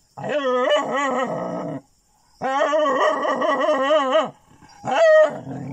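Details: Dogs attacking jungle cats at pigeon houses in Chilaw, Sri Lanka: two long, wavering, harmonic howl-like cries of over a second each, a short gap between, then a sharper rising yelp at the end.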